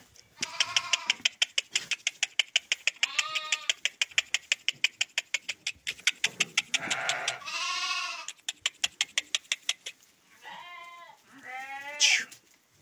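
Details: Male sheep, part of a flock of 23 rams offered for sale in Guelma, Algeria; several wavering, nasal bleats rise and fall at irregular intervals, accompanied by a fast, steady train of sharp clicks throughout.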